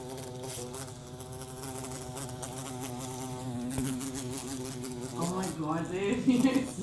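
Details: Bumblebee being set free, giving a steady, deep droning buzz with a rich stack of harmonics that wavers slightly in pitch and grows louder and rougher toward the end.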